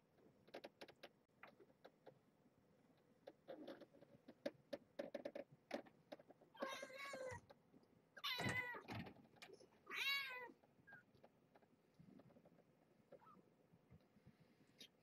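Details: Young kittens at play time, eyes just opening, being handled indoors beside their mother: three loud, wavering high mews in quick succession mid-clip, preceded by rustling and clicking handling noises, with soft speech nearby.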